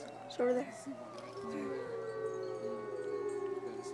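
Wolves howling together, long drawn-out wavering tones overlapping in a low chorus.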